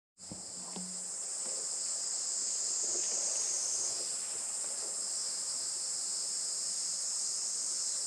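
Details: Cicadas in summer on a traditional farm in Saitama, Japan, about an hour from Tokyo, recorded on 20 July 2024 around 11:30 am on a sunny morning; a dense, steady high shrill buzz sets in and holds throughout, with a few faint knocks early on.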